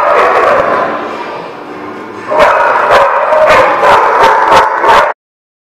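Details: Dogs at a kennel lot on 23 February 2018, a dense background chorus of barking, then a closer run of sharp barks about three per second before the sound cuts off abruptly.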